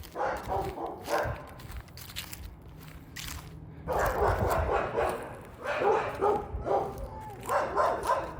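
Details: A neighbour's dog barking, recorded close up on 14 January 2024: bursts of rough barks in quick irregular runs, a quieter stretch in the middle, then renewed barking, with low background rumble.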